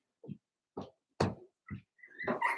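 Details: Pen of four-week-old Cavalier King Charles Spaniel puppies: four short, separate soft yips spaced about half a second apart, followed by a higher squealing whine at the end.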